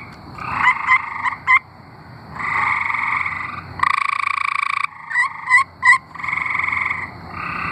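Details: Tree frogs singing in Arkansas: several overlapping nasal, pulsed trills in long bursts, with short sharp clicking notes between them and one loud, bright burst near the middle.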